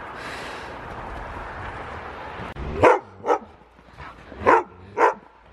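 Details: Husky dogs play-wrestling, rough-looking but playful: after a stretch of scuffling noise, four short husky barks or grunts come in two pairs about a second and a half apart.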